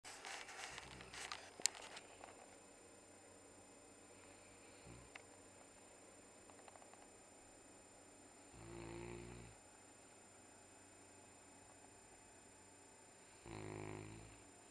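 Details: A pet dog snoring through a Sunday morning nap. A quiet room, broken by two low, rasping snore breaths several seconds apart, with faint clicks and rustles near the start.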